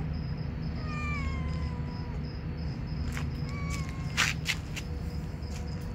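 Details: Two male village cats, kept as pets and behaving as a romantic pair, trading clear wavering meows: a long falling one, then a shorter one about a second later, with sharp clicks and rustling between them over a constant low hum.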